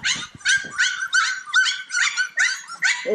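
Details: A bunch of Cane Corso puppies at play give a steady series of bright, high yips, about eight short yelps in three seconds, each a little rough and harmonic-rich.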